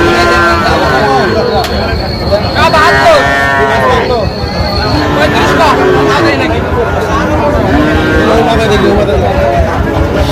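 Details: Among Sahiwal bull calves in Chuadanga, Bangladesh, 19 August 2025, several overlapping moos of varying pitch rise and fall amid busy human chatter and passing vehicle noise.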